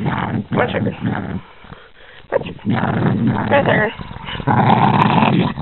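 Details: A Boston Terrier that doesn't like being touched growls angrily, a low throaty rumble, while a person speaks over it.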